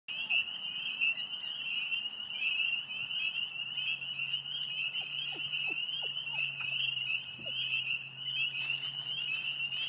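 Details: A dense chorus of spring peepers at a vernal pool in Brecksville Reservation, with a few wood frogs present: high piping peeps blurring into one steady shrill ring.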